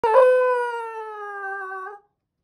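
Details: Basenji; roo howl; asking to go out on a walk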